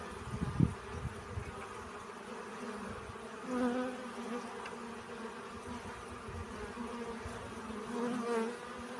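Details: Bees collecting pollen, a steady low buzzing hum with a few louder tonal swells as insects pass close, near four and eight seconds, over soft low thumps and rustling.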